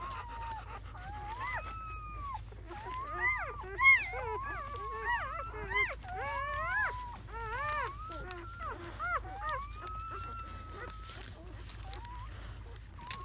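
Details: Seven newborn German Shepherd puppies, four males and three females, in their first hours after birth on May 7 to 8, 2017; overlapping high whimpers and squeals, many arching and sliding tones, from several pups at once.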